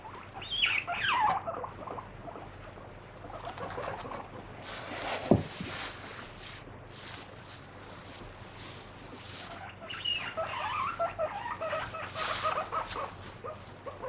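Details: Free-roaming pet guinea pig screaming while held and scrubbed on its feet with a wet tissue during a daily body check; high whistled squeals rising and falling near the start and again toward the end, over steady rustling and handling noise.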